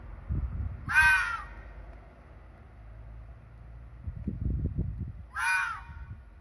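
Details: A red fox screams in the dark in breeding season, a call used to confirm territory between rival foxes and given by females around mating. Two harsh, hoarse screams come about four seconds apart, with low rustling between them.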